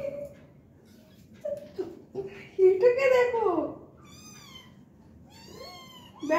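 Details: Small kittens at play, giving thin, high-pitched meows in short bursts near the end, preceded by a person talking close by in a quiet room.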